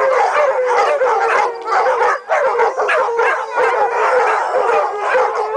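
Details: A pack of dogs howl together, long wavering tones overlapping in a continuous chorus.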